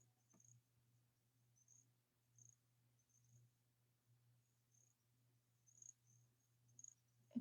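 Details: A little grass frog (Pseudacris ocularis), a chorus frog of the southeastern US coastal plain, calls in very high, faint, tinkling, chiming chirps that sound almost like an insect winding up.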